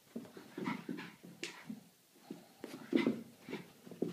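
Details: Boston Terrier that wants to play: quick breathy pants and short grunting snorts in uneven bursts, a louder huff near three seconds, a brief quiet gap before the panting resumes.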